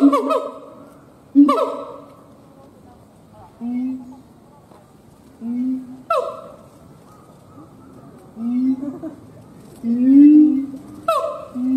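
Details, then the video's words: Male siamang gibbon howling, sparser phrase: isolated loud ringing barks a few seconds apart, separated by deep swelling throat booms and soft low hoots. "Siamang Gibbons monkay howling"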